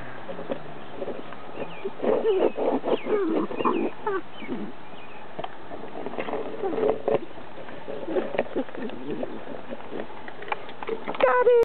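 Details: A Dachshund puppy trying to turn over a plastic bowl makes rough, low growls and grunts in quick, uneven bursts.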